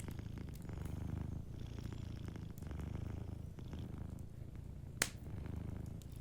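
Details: Gentle purr of a dozing cat, a low buzzing rumble that swells in waves, alongside quiet fireplace crackling and one bright pop near the end.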